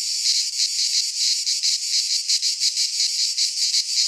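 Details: Greek pine forest cicadas in midsummer produce an unbroken, shrill buzzing wall of sound, throbbing about three times per second with slightly uneven pulses, no birds or people heard.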